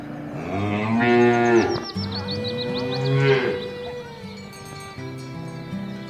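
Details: Cattle of a village herd driven toward the livestock pen through a rice field ditch in the countryside, giving two drawn-out, rich harmonic moos, the second starting about two seconds after the first fades.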